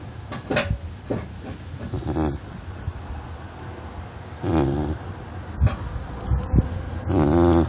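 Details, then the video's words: Snoring Labrador Retriever dog. Scattered clicks and shuffling come first, then a low, buzzy harmonic snore near the middle and another at the end, over a steady low background rumble. "Прикол. Как храпит собака\ joke. As snoring dog (Лабрадор)"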